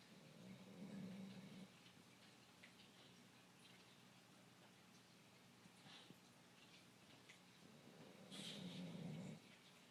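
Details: Greyhound mix named Sara asleep indoors, snoring while the household watches TV: two low, rumbling snores, one near the start and one near the end, separated by quiet room hush.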